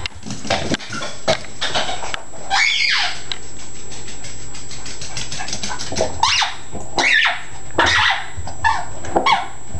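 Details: Yorkie-Chihuahua mix Chalupa, excited by a squeak ball in a small room, gives irregular bursts of high whines and yips about once a second. Some are drawn out and slide downward, with toy squeaks in between.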